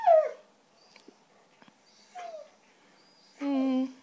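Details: White female Siberian Husky indoors 'talking' for cheese doodles: a falling whine, a brief mid-clip yelp, then a long steady whining howl at the end, with quiet gaps between.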